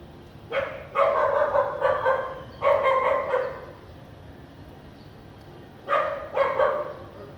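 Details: In Vientiane, Laos, on a sunny, lightly clouded afternoon of 15 April 2021, a house dog barks in three clusters of rapid rough barks, with a quiet gap of about two seconds before the last.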